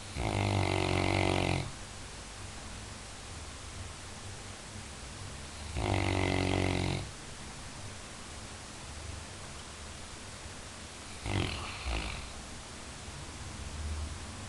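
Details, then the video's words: Labrador Retriever snoring, humorously dubbed the best guard dog: three loud, rattling snores, each a second or more long, spaced about five seconds apart, with quiet low breathing between them. "Labrador roncando"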